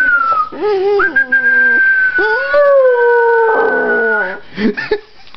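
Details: Rottweiler howling, described as howling to death: long sustained harmonic-rich tones, several rising then holding steady, overlapping wavering howls ending in short broken yelps.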